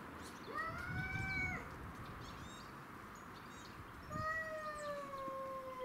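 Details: Territorial standoff among domestic shorthair cats Tom, Mimi and a grey-and-white neighbourhood stray; two drawn-out, steady yowls, the first about a second long, the second longer and slowly falling, separated by a quiet gap with noise.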